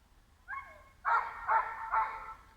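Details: A large sheepdog left alone in a gray pickup truck in a parking area beside a library, barking for over ten minutes; a whine followed by three loud, rough barks spaced about half a second apart.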